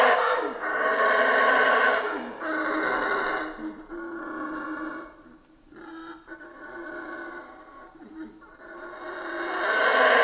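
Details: Roaring howls of howler monkeys in the rainforest of Central America, heavy rasping bursts that repeat and fade into a quieter stretch before swelling loud again at the end, above a persistent droning background.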